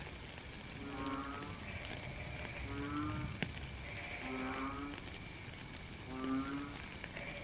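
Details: Rainfall with a frog calling: four low, buzzy croaks with rich overtones, spaced roughly every one and a half seconds, over a continuous wash of rain.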